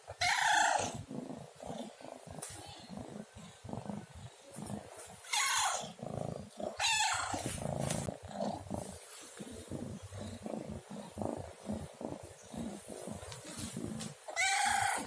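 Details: Domestic cat meowing repeatedly: four loud, harmonic meows spread across the stretch, with one at the start, two in the middle and one at the end, over a continuous low rumbling background.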